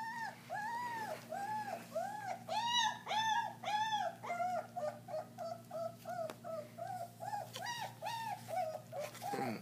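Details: Several German Shepherd puppies about 3.5 weeks old at their first raw-meat meal, giving a steady chain of arched, whistle-like whines near two per second, some louder squeals with rich overtones, over a constant low electrical hum.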